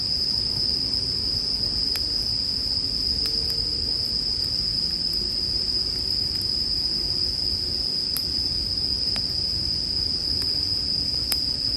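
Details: Unbroken, high-pitched ringing of bell crickets beside a crackling campfire; scattered snaps of burning wood break in every second or two over a soft low murmur.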